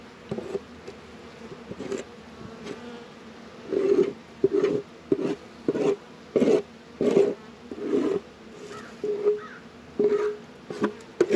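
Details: Hive activity on a warm 72°F February day in northern Kentucky: honey bees buzz in a low drone, swelling into repeated loud bursts roughly every half second, with knocks and handling noises around the boxes.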